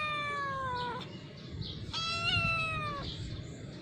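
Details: Cat on a staircase giving two clear, harmonic-rich meows: a falling mew of about one second, then after a short pause a longer meow that lifts slightly before sliding down; steady low rumble underneath.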